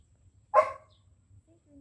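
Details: Two-month-old jet black Belgian Malinois puppy, a female called Lucy, during training: one sharp, loud bark, then quiet low background hum and a trainer's praise.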